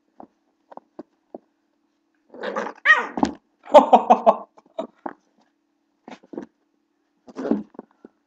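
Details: Blue pit bull puppy play-fighting with a person: sharp snarling yaps and gruff growl-barks in quick clusters, interspersed with soft clicks and brief huffs.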